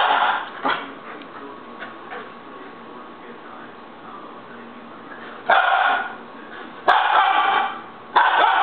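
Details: Baby Siberian Husky in a tantrum: a quiet stretch of low murmuring, then three loud, rough, sustained yelling cries near the end, each under a second long.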